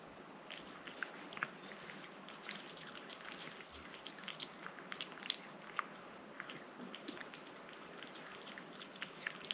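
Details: Rang-i, a pet cat, eating a liquid treat up close: a steady stream of soft wet clicks, licks and small crunchy bites, some sharper snaps standing out above a quiet, hissy room background.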